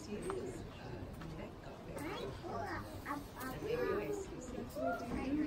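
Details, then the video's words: Captive siamang pair, father and mother, singing together in harmony at the Los Angeles Zoo; a series of arched, rising-and-falling whooping notes grows stronger toward the end, over steady crowd chatter. "Siamang harmony フクロテナガザル"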